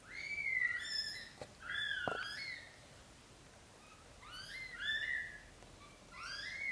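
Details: Black golden British Shorthair newborns being moved by mother cat Samel from a large bed to a small nest, crying indoors: a run of high, bent, squeaky mews, several overlapping, in bursts with short pauses between them.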